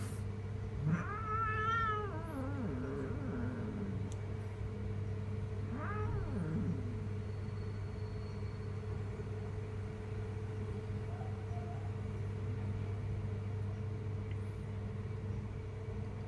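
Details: A jungle cat, called very dangerous, lets out two loud, harmonic yowls that climb and then slide down early on, followed by a long stretch of steady low mechanical drone with no further calls.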